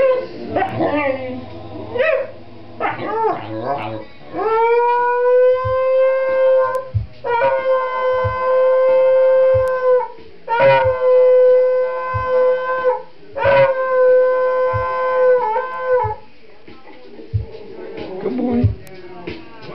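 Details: Bobdog, a pet dog, sings along to the one song he can never resist. He gives long, steady, tonal howls that rise and slide, held for one to three seconds each, with short breaks between them and some faint background sound.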